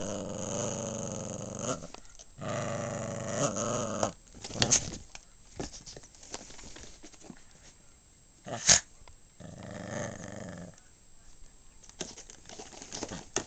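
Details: Snoopy, a pet dog, growls indoors in long, low, rough rumbling bursts of about two seconds each, separated by short pauses, with a quieter growl near the end and faint clicks and rustling in between.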